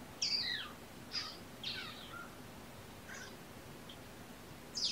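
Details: Young kittens, a litter of three born November 22 and surrendered with their mother Olympia, on a sleepy afternoon. High, thin mews slide downward, four or five spaced across a few seconds, over a quiet indoor background.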